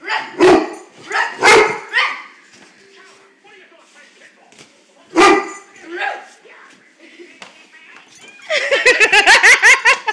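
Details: Big brown dog reacting fearfully to his reflection in a mirror: three hard, punchy barks spaced by pauses, then a fast run of voiced yelps near the end, over a person's chatter.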